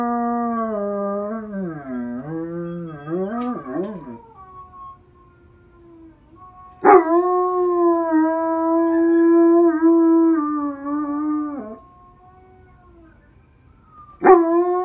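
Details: German Shepherds Whisky, his mother Phoenix and his brother howling together: a wavering, sliding howl for about four seconds, a pause, then a long steady howl for nearly five seconds, and a fresh howl starting at the end.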